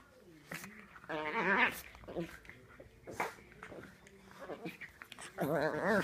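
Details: Pet dog making wobbly, warbling whines in short bursts, a longer quavering cry near the start and another near the end, with soft thumps and rustling between them in a small room.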